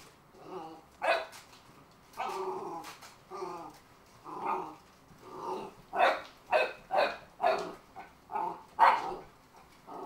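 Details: Shaker, a Cardigan Welsh Corgi, barking at an A & W root beer can he decides holds evil; sharp mid-pitched barks with growly undertones, roughly one per second, irregular, growing more insistent toward the end.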